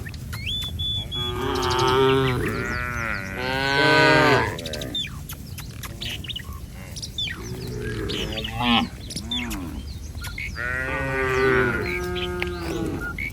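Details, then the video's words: Street-roaming cattle herd calling with overlapping, wavering moos, loudest near the start and again near the end, mixed with steady bird chirps and twitters. "Suara sapi lucu Moo"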